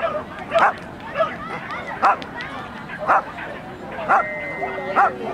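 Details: Norfolk terrier at an agility event, 28 March 2009; sharp barks repeat roughly once a second, six in all, over a background of people talking.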